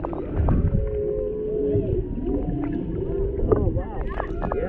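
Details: Humpback singing underwater near Maui, Hawaii, around a mother and calf interacting by a boat, a male in the background, GoPro Hero 7 Black; long sustained tonal notes and sweeping upward-curving cries over low water rumble.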